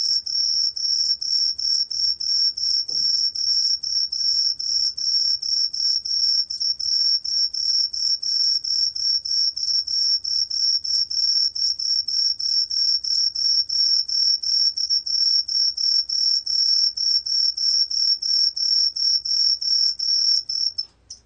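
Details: Green pine cricket song, from a 2020 recording: a steady, high, ringing trill built from rapid, evenly spaced pulses. It runs unbroken for about twenty seconds before stopping abruptly, over a faint, quiet background.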